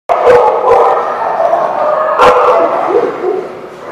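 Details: Several dogs barking together at The Barking Lot on February 17, 2017, sharp overlapping barks packed densely with almost no pause and a few louder yelps standing out near the start and middle.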